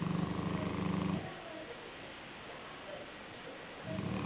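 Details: Sleeping black Shar-Pei called Joshua lying on a pillow: one deep, vibrating snore at the start, a stretch of soft breathing, and another rough snore starting near the end.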